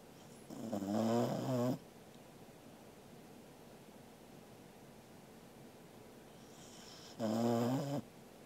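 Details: Sleeping Corgi dog Angela, recorded indoors on 13 August 2021, snores twice, roughly five seconds apart; each breath is a rough, rattling harmonic snore under a second long, with soft room noise in the pauses.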